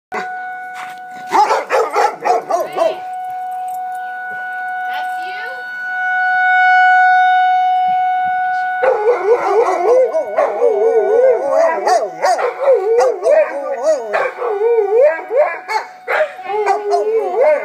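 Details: Two pet dogs, Biggs and another, howling at a tornado warning siren they hear for the first time; a steady wailing siren tone rises and falls in the middle, then wavering, overlapping howls swell over it, with a few voices.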